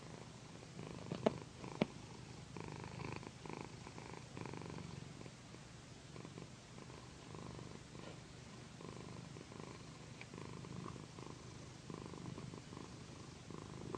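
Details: Pandy, a female house cat, purrs during a gentle massage on a satin pillow; a soft low continuous rumble with breath-paced swells, a couple of sharp clicks near the start and light fabric rustle.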